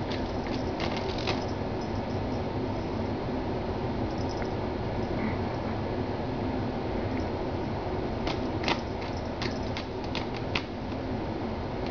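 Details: Continuous whirring of a fan fills a small room, broken by soft taps and rustles, with no animal voice.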